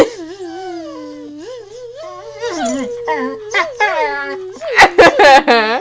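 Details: Abby, a pet female dog indoors, protests at being buzzed at with wavering, whining howls that slide up and down in pitch, then rise into louder, sharper yelping cries near the end, with a voice mixed in.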